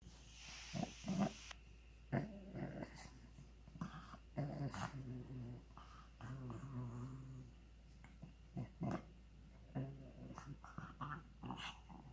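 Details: A pug making funny noises indoors: short snorting, grunting bursts with buzzy low tones, repeated irregularly over a quiet room background.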